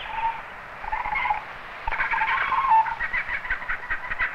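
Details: On an island in Australia, a young male koala in his tree gives a wavering, nasal squealing cry in broken bursts, a distress call as he feels threatened by people nearby and keeps moving.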